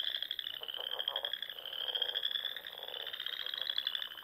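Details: Many frogs singing at dusk in the spring Sandhills of Nebraska, near small lakes; unbroken high-pitched trilling chorus, with lower buzzy pulsed croaks in the first second and a half.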